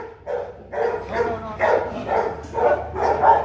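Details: Rottweiler barking as Bruno, a Latvian young champion, meets his son Igor aged 7 months; a run of about seven barks, roughly two per second, rather uneven, with a low hum behind.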